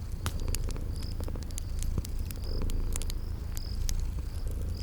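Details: Low continuous purring from sleeping kitties, swelling and easing with each breath, set by a crackling fireplace in spring garden ambience; snapping fire clicks and brief high cricket chirps sound over it.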